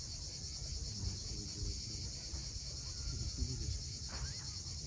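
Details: On Crimea's steep Cape Fiolent coast at sunset, cicadas keep up an unbroken shrill buzz high above a heavy low wash of waves, with a short rising bird note near the end.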